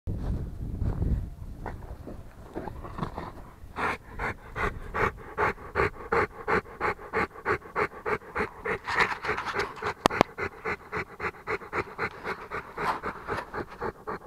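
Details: Rottweiler panting steadily, quick breathy pulses about three per second with a broad hiss, softer and lower at the start before settling into an even rhythm; one sharp click near the middle.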